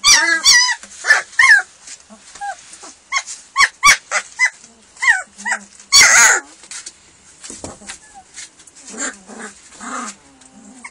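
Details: Litter of hungry German Shepherd puppies at feeding time, high stacked yelps and squeals in quick irregular bursts, one loud clatter midway, then softer low whimpers.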